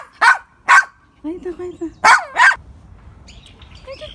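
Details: A Poodle lets out two quick high barks, then a brief low whine, then two more rapid yaps, followed by softer faint high tones over a light background hiss.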